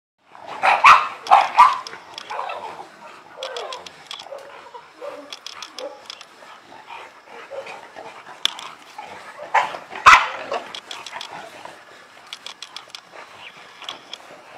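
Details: Illyrian Shepherd, an ancient Albanian livestock guard dog breed of the Balkans, giving a few loud, harsh barks near the start and another burst around ten seconds, with quieter barking and sharp clicking ticks between.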